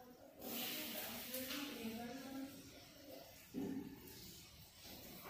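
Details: ['A little kitten alienated by its friends hisses: a breathy, broadband burst in the first second, with softer tonal voicing murmuring underneath through the middle of the recording.']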